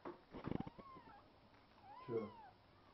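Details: Domestic cat meowing while being stroked, one of several cats; two drawn-out meows, the first falling then leveling, the second rising and bending down, with soft rustling and handling noises at the start.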